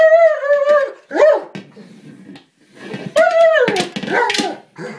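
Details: German Shepherd frustrated at failing to puncture a small buoy he is attacking: a sustained high whine, a short rising-falling yelp, then quieter scuffling before another drawn-out whine sliding downward amid clattering bites.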